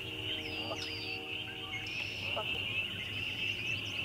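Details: ['A loud chorus of spring peepers forms a dense, continuous high shrill band of overlapping peeps, with faint lower tonal sounds and a low rumble underneath.']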